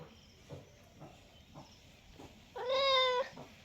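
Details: Cat producing one strong, steady, tonal meow of about half a second, preceded by a few faint rhythmic taps in a quiet room.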